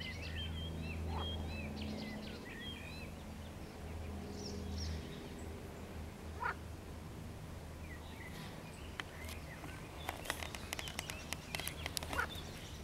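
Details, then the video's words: An edible frog gives a low, droning croak for about five seconds on 16 May 2022, with faint song of a river warbler above and sharp clicks and crackles near the end. "Rechot żaby wodnej"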